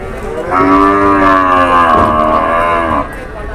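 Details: A single long moo from cattle at a livestock market in Indonesia, a steady rich tone held about two and a half seconds with a slight wobble in the middle, little else heard.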